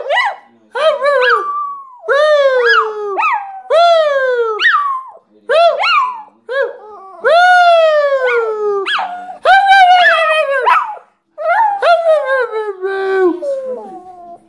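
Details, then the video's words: Shih Tzu "singing": a string of clear, tuneful howls, each note sliding up then gliding down, delivered in steady phrases with short breaths between, loud and close with no other sounds. "Shih-tzu singing"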